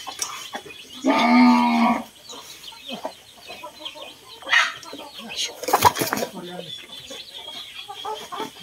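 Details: Cattle being fed mixed concentrate in the evening give one loud, drawn-out, nasal moo lasting about a second. Chickens cluck and scratch around it, with scattered clatter and thin background noise.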